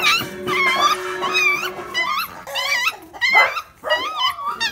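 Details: Whining Phu Quoc Ridgeback puppies of one litter, giving quick overlapping high wavering cries and yips, with faint music and steady low tones in the background.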